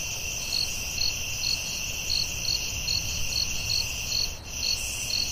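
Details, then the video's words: Forest crickets calling at night, evenly spaced high chirps a little over two per second above a continuous ringing trill and a low murmur of background noise. "Soothing Cricket🦗 Sounds at Night"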